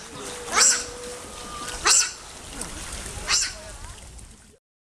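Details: Hungry otters at Hamburg Zoo, gone inside shortly before their usual fish feeding and anxious about the coming meal, give three short shrill squeaky bursts about every 1.3 seconds over a low steady background hum.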